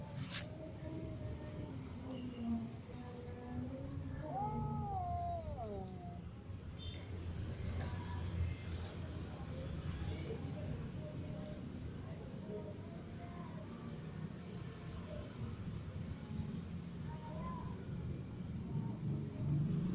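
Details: Ginger cat, kittens and other cats meowing while all eating well; one loud wavering meow stands out midway, bending up and down, with fainter short meows scattered around it over a constant low hum and occasional clinks.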